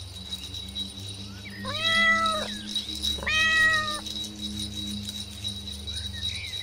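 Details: Kittens playing with their mother cat on green grass; two clear meows about a second apart, each a level, slightly wavering harmonic call, over a steady low hum and faint background hiss.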